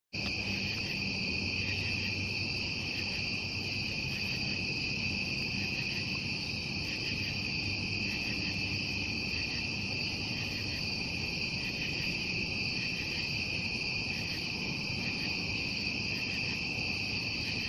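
Crickets trill together at night in a steady, high, unbroken chorus.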